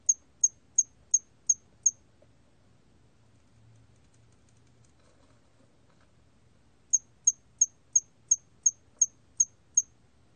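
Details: A hairy cricket sings a series of high, clipped chirps, evenly spaced about three per second; recorded in 2020.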